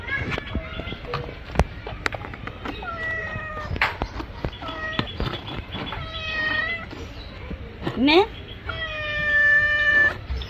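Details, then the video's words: Domestic cat looking angry while being bathed, giving a series of drawn-out harmonic meows, some flat and one sharply rising, amid splashing, clattering and a person talking in Bengali. "Today our cat looks angry while taking a bath"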